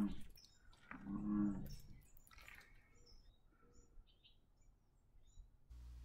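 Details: An American bullfrog gives a single deep, droning, cow-like thrum at Sonoma State Historic Park, California, under speech and faint small-bird chirps; a great blue heron nearby.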